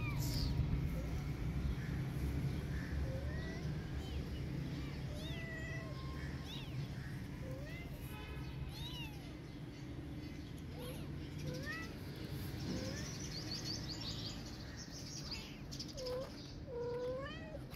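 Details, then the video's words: Orphan kitten and protective cat: scattered high, thin mews rising and falling, some short and others drawn out, heard over a steady low hum with a few voices. "Protective Cat Listening Meowing Of Orphan Kitten And Responding Immediately"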